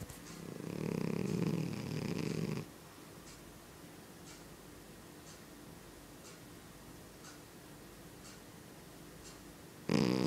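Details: Extremely loud snoring from a domestic cat: one long, deep, rasping snore lasting over two seconds, a quiet stretch with faint soft clicks, then another loud snore beginning at the end.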